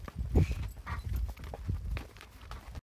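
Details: Unregistered Tennessee Walking Horse being walked, irregular dull low thuds of hooves at a loose, uneven pace, with faint background noise and no voices.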